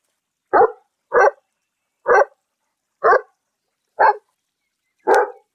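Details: Domestic dog of an unspecified popular breed barking: six short, loud, mid-pitched barks spaced about a second apart in a clean, otherwise silent recording.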